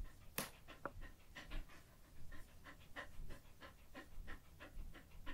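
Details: Daifuku, a female Samoyed born 17 December 2021, pants after a full meal: rapid, breathy huffs repeat steadily several times per second, with one sharp click near the start.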